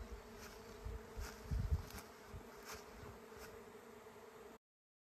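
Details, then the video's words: A huge swarm of honey bees, a queen leaving the hive with part of the colony, flies overhead towards a new home, making a dense, low hum that grows louder. "Bienenschwarm in der Luft - beeindruckende Geräuschkulisse"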